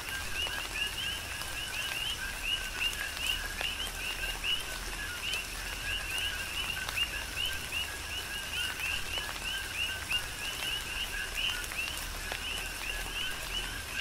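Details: Big Island, Hawaii, tropical rain: coqui frogs keep up a continuous chorus of paired notes, a lower tone and a bright upward-sweeping whistle, heard over soft rain patter with frequent crisp drip sounds.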